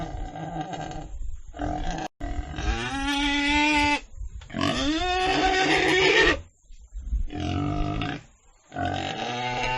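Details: Pig squealing in harsh, harmonic bursts: a few short cries, then two long, loud squeals of about two seconds each that rise and waver in pitch, followed by shorter squeals, with brief silent gaps between them.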